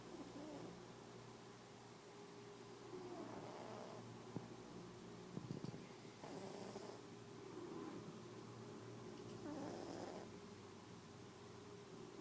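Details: Cat Mia asleep and dreaming, snoring in uneven breathy bursts, several rougher rasps clustered mid-way, against a constant low droning background hum.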